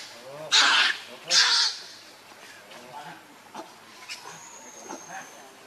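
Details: Baby monkey Lucie, hungry and begging for milk, gives two loud, harsh, shrill cries about a second apart, each lasting roughly half a second. Faint rustling and low background noise follow.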